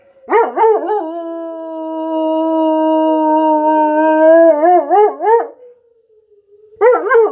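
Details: German Shepherd answering a tornado siren drill. Quavering yelps lead into a sustained, even howl lasting several seconds, then ends in rapid wavering pulses. Falls silent beside the siren's gliding tone, then resumes with wobbly cries.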